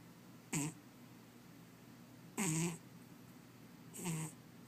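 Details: Cat asleep and snoring. Three raspy breaths come a couple of seconds apart, the last one softer and drawn out, over a faint constant hum.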